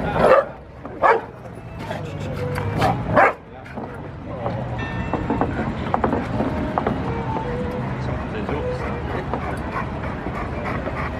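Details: Golden retriever named Ithaque taking a bath at Quai de Conti beneath the Pont des Arts on a daily walk; three or four loud sharp barks open the recording, then people talking over steady city and water noise.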